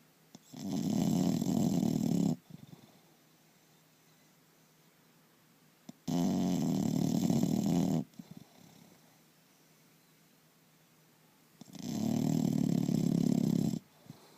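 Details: Sleeping English Bulldog called Turbo gives loud, steady snores, three long harsh rumbling breaths spaced roughly five seconds apart, each about two seconds long, separated by near silence.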